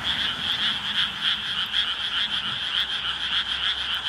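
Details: A dense night chorus of frogs in Ishigama, Sawara Ward, Fukuoka, starting after full dark during firefly season, calls together in a steady shimmering trill of high, overlapping croaks.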